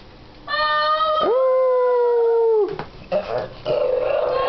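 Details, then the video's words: Two Shih Tzu dogs howling together after their owners got them started: a long sustained tonal howl held steadily for over a second, then breaking into rougher, noisier wavering howls. "Toto and Tara Singing, Shih Tzu dogs"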